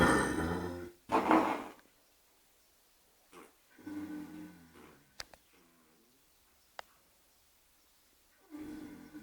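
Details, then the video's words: Sleeping horse named Oscar giving loud, harsh snores. Two strong rasping bursts come in the first two seconds, followed by softer rumbling breaths, a few clicks, and a final drawn-out snore. "Oscar having a sleep includes snoring!"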